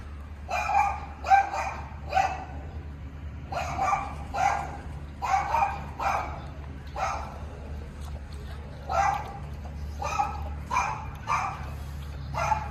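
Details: Tibetan Mastiff puppies giving short, sharp yipping barks, some singly and some in quick pairs or triplets, spaced irregularly over about thirteen seconds against a steady low droning hum.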